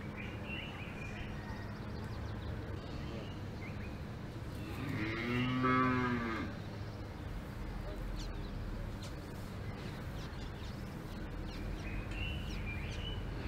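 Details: Single moo from a cow on an Alpine farm, a steady tonal bellow of about a second in the middle, set against constant low rumbling outdoor background noise.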